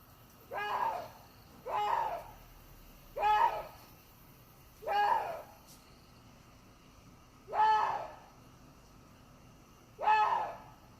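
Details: Water deer giving a run of six hoarse, strained barks, each brief and strongly harmonic with a bent pitch contour, spaced irregularly one to two and a half seconds apart against faint low background hum.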